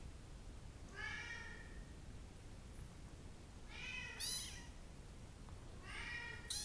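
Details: Bengal kittens, one brown and one blue, meowing indoors; three high, clear, slightly wavering meows, each about half a second long and spaced roughly two seconds apart, over a low steady background hum.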